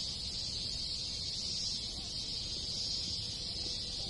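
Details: Countless cicadas in a Japanese village in summer, countryside ambience: a steady, piercing high-pitched drone without pauses, gently swelling and easing in loudness.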